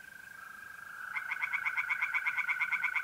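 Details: Night in mid-April at a North-East Italian pond: a constant mole cricket trill, then tree frogs join after about a second with a fast series of rasping pulses.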